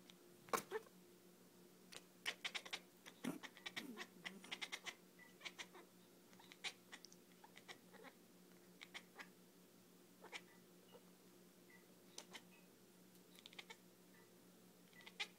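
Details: Beanie the cat, indoors, sounding like a dolphin at the sight of laser light: scattered sharp clicks and chittering squeaks in irregular clusters over a steady low hum.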